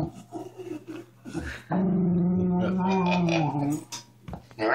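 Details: Miniature Schnauzer pet dog indoors, with a person talking nearby at first, then a sustained two-second tonal growl that wavers and fades, followed by quiet rustling and short noises.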